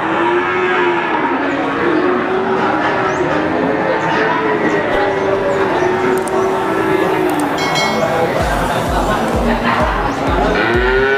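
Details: Cattle at the Wagenan cattle market in Pati, Indonesia: a long, drawn-out moo held steady for about eight seconds, with a crowded market din behind it and a few heavy low thumps near the end.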